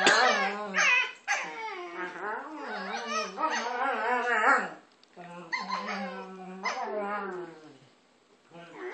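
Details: Two dogs make funny noises at each other while playing: wavering, whiny, yodel-like harmonic moans rising and falling in long bursts, a short pause near five seconds, then more drawn-out grumbling whines.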